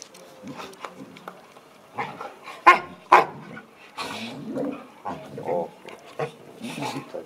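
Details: An American Akita and a Chow Chow playing together give a few sharp, loud barks amid softer growly noises while people talk.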